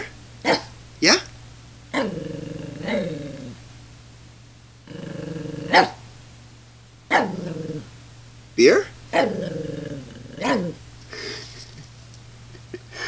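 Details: Shih Tzu kept as a pet, filmed while enjoying a cold beer: a series of short, sharp yaps mixed with several longer, throaty, harmonic growl-whines, in loose irregular bursts over about thirteen seconds in a quiet room.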